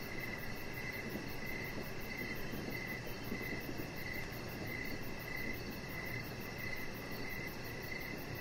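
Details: Crickets heard in the evening from an outdoor deck, a high rhythmic chirping repeated about every second, layered over steady broadband noise and a deep low hum.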